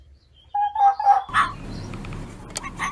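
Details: Fox mating-season call: a short pair of clear, tonal notes at an even pitch, followed by a harsher burst and then steady background noise with faint clicks.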